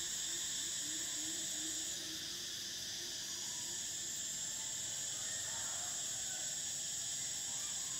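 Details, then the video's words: Continuous shrill buzzing of summer cicadas in several steady high layers, the top band breaking off at two seconds, with faint low wavering tones early on. "Cicadas: the sound of summer"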